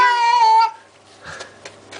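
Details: Unhappy Baxter, a cat getting a flea bath, gives a steady, loud, slightly falling meow lasting over half a second, then quiet with faint splashing and handling noises.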